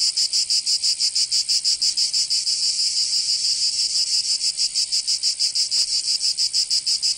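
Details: Cicadas singing in summer in Provence, southern France, a bright, sizzling wall of sound with rapid, regular pulsing and a short faint click near the end.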